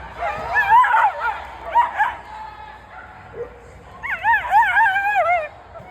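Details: Feta the dog, watching flyball, voices warbling high-pitched whines and yelps in several bursts, the last a long quavering wail near five seconds, against low background rumble.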